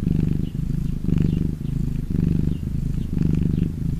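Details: Domestic cat purring when happy: a continuous low rumbling purr in alternating inhale and exhale phases, each roughly half a second to a second long, steady and close with no other sounds.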